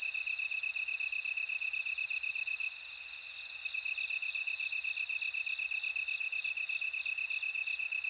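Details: A bell cricket sings in bright, high, tinkling phrases for the first few seconds, then fades into the steady throbbing trill of surrounding insects.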